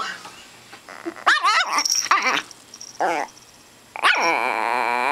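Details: A tiny two-year-old female imperial Shih Tzu, three pounds, mad at her owner for taking her chicken wing, lets out several high, sharp barks in quick bursts, ending in a sustained wavering growl.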